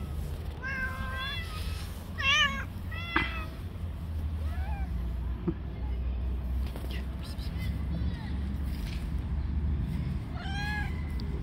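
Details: Street cats fighting, one cat attacking others; a cluster of short sharp meows and bent yowls early on, quieter calls in the middle, then a final rising cry, over low traffic hum.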